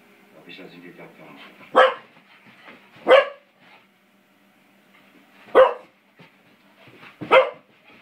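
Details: Five-month-old springer spaniel Beau at play with a door spring, giving four abrupt, loud barks spaced one to two seconds apart, with faint talking underneath.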